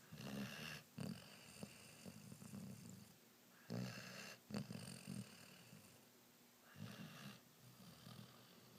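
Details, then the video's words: Sleeping Rhodesian Ridgeback puppy snores in rough, rattling breaths, the first run long and then shorter snorting pulses near four and five seconds, with a final softer snore near the end. "Rhodesian Ridgeback Puppy Snoring"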